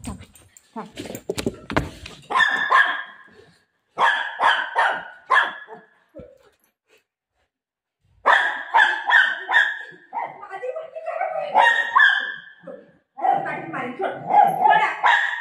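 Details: Playful Golden Retriever that grabbed mom's dupatta and ran, barking in quick repeated clusters broken by a brief silence, while a woman talks and scolds in Marathi throughout.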